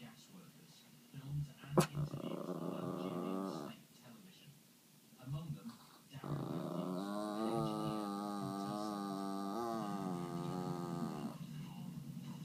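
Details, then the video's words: Chihuahua growling at its first sight of snow: a drawn-out, rough yet tonal growl of about two seconds, a pause, then a steadier growl lasting about five seconds, with a faint sharp click early on. "Growling chihuahuas first sight of snow"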